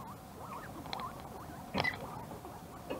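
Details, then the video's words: Guinea pigs in a morning scramble over carrots, rushing in to compete before finding enough for everyone; a busy stream of short wavering squeaks and chirps overlaps, broken by a loud rustling crunch near the middle and scattered clicks. "Guinea Pig Carrot Battle"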